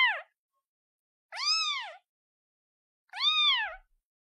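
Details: Young kitten calls for its mother with repeated bright meows that rise and drop in a smooth arch, one roughly every one and a half seconds, in otherwise quiet surroundings.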